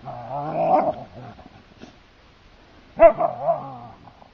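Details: Siberian Huskies wrestling in play on the heath: a loud, drawn-out warbling growl-howl, then a pause, then a sudden sharp bark-like yelp that slides into a rough, wavering growl.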